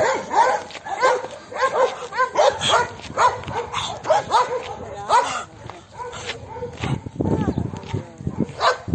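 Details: Dog giving a run of short, sharp yipping barks about twice a second for five seconds, then a lower rough vocalisation and a few more yelps, with a person talking throughout.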